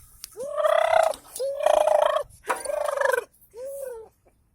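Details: Dog trying to escape, voicing four drawn-out, arching howl-like whines, each under a second with a rise and fall in pitch, the last shorter and softer, separated by brief pauses in a quiet indoor setting.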